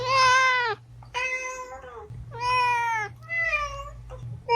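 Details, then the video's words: Cat meowing used to draw cats out, four drawn-out tonal meows in quick succession, each sliding slightly downward, over a steady low background hum. "Meows to ATTRACT Cats (Meow Sounds to Attract Cats). Cats Meowing Sound Effects. Kitten Sounds"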